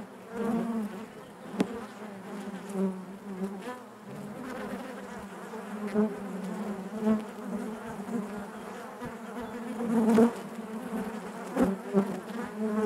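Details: Honey bees humming inside their hive, a dense steady drone with a strong low band and stacked overtones, swelling and easing in loudness, with occasional brief clicks and knocks.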